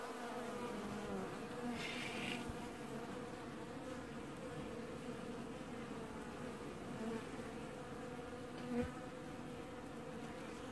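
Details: Western honey bees from a colony washboarding at an apiary hive in early July 2019 give a steady, low, layered droning buzz, with an occasional low roar the beekeeper wonders may be heating or cooling the hive.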